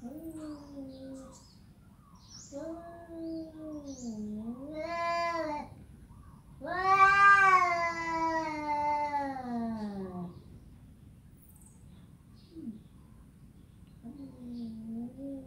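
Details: Domestic cat producing a sequence of meows: short wavering calls, then a loud, prolonged yowl that bends and descends, followed by quieter meows in a small room.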